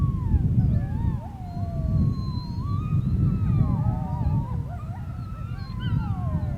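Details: Several wolves howling together on the Sharr mountains: overlapping long, wavering tones that rise and fall and cross one another, with higher yipping notes woven in, over a steady low rumble of wind.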